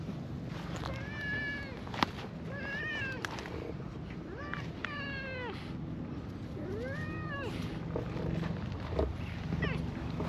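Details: Stray cats, a cream cat and an orange tabby, out together in a park on a warm spring day; four or five drawn-out, arching meows with rich harmonics, one every two seconds or so, over low outdoor rumble.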